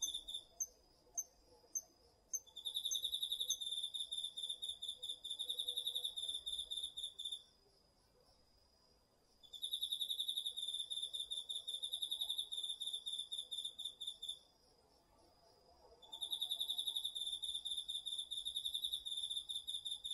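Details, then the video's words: Autumn insect chorus, crickets and others, from a garden field, recorded on a DR-40X. Short separate high chirps come first, then three long bouts of fast, high-pitched pulsed trilling, separated by quieter gaps. "秋の虫の声 ASMRでおやすみなさい 〜虫の音を枕元で聞いてね〜 こおろぎ他"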